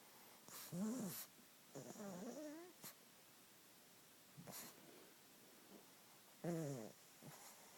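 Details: A sleeping pug snoring: rough, wavering snorts lasting about half a second, each with a fluttering rise and fall, coming in irregular bursts a second or more apart, with short clicks and quiet pauses between.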